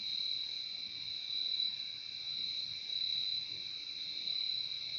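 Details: Crickets in a relaxing nature recording: a dense, unbroken high trill holds steady throughout, with a fainter lower band beneath and a slight pulsing in loudness. No other animals or people.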